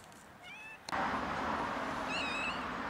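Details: Two hungry sibling kittens, one white and one black, eating cat food; a faint high meow early on, then a clearer drawn-out high meow near the end, over loud steady hissy, rustling noise from about one second onward.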